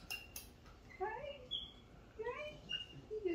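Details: MonkeyHappy the pet capuchin monkey, with his friend Martha, gives quick rising chirps and thin whistled notes, several in three seconds, with a woman speaking over them indoors.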